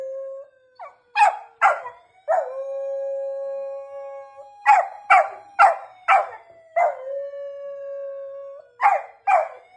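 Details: Golden retriever Torakichi howls in response to a police car siren, with clusters of abrupt, harmonic yelps broken by pauses over a steady, low siren tone in the background.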